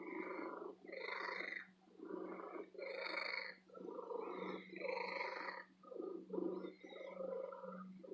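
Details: Female domestic cat living in an antique store, purring loudly and happily: a steady rumbling purr in rhythmic pulses roughly one second long, with short dips between inhale and exhale, continuing throughout.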